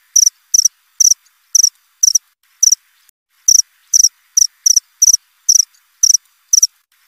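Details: A cricket's steady krik-krik chirping: short high-pitched pulsed bursts at a fairly regular pace, one longer pause midway, otherwise quiet background.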